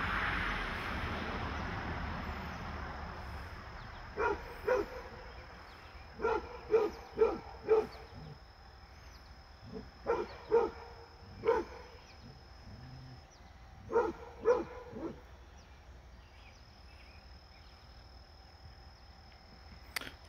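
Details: Fred the Basset Hound, with a deer friend nearby, lets out bursts of rapid hoarse barks, three or four in a row, repeated in several bouts before falling quiet at the end.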